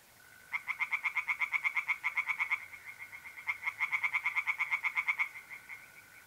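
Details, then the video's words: Tree frogs calling in a pond by night, mid-April, north-east Italy. Two bursts of fast rattling croaks, each a couple of seconds long, separated by a brief pause. A continuous mole cricket trill hums underneath. "relaxing singing tree frogs in pond"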